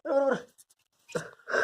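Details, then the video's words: Hash, a Labrador Retriever puppy, during its first bath: a short, tonal, wavering whine, then a brief pause before two more strained whimpers start. "Hash | First Bath | Labrador Retriever Puppy"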